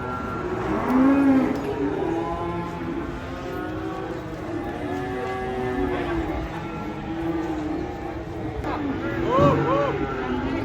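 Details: Cows coming off a truck during unloading give a short, low moo near the start and a brief one near the end. Men's shouted instructions, music and vehicle noise run throughout.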